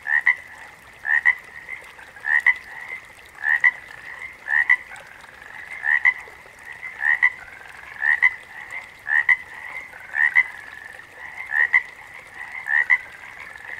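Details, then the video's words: Frog chorus with a loud caller giving paired, quick rising chirps about once a second, steady rhythm, over a continuous, softer background of overlapping frog trills. "Backwater Chorus, & Frog Chorus"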